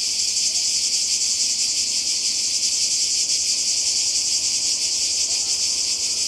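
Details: Summer cicada chorus on the Croatian coast, recorded on a 2020 holiday: a continuous high-pitched, sizzling drone, even in loudness and lightly pulsing, filling the whole stretch without pause.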